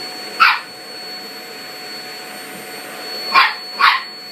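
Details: Toy Poodle that hates the vacuum cleaner, facing it nervously; one sharp yap, a pause, then two quick yaps close together over a continuous vacuum cleaner whine.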